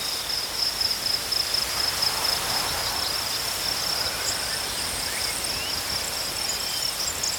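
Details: Crickets keep up a continuous high-pitched chirping trill, fast pulses clearest at the start, set against a constant rushing hiss of outdoor noise.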